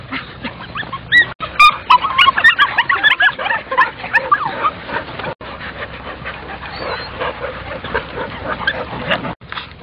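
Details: German Shorthaired Pointer puppies at the water, crying as they are brought along; many short whimpers and yelps pile up densely, some thin and rising, then fade into softer scattered whines over a murmuring background.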